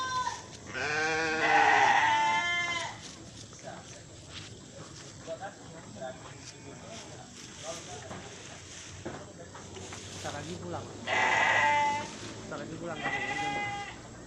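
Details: Dairy Etawa goats in Aceh Tamiang, Indonesia, give loud, wavering, nasal bleats. A long bleat comes early, then two more bleats near the end. Human voices and background chatter run between the calls.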